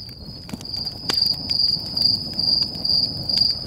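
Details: Crickets calling at a nighttime campfire in Sequoia National Park, California, Stoney Creek Campground: high, pulsed chirps about twice a second grow louder after the first second, while the fire snaps and crackles beneath them.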